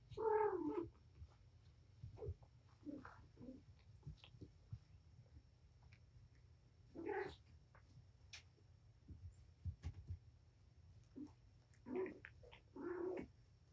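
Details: Domestic cat Patience, a mother with five kittens (four males, one female) surrendered to Purrfect Pals, playing with her litter indoors: three bouts of harmonic meows spaced several seconds apart, with soft thumps and rustling between.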